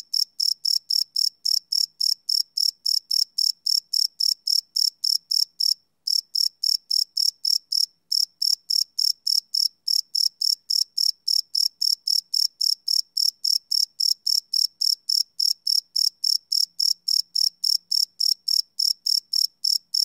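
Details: Cricket chirping after dark, recorded live on a Sony PCM D100 field recorder without loops; fast high-pitched pulses at a steady pace, briefly broken by two short gaps.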